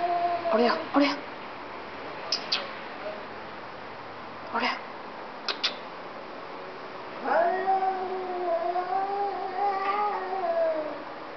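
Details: Two domestic cats 'talking' to each other: brief clicks and short bursts come first, then a single long, wavering, nasal meow that holds steady for about three seconds before fading.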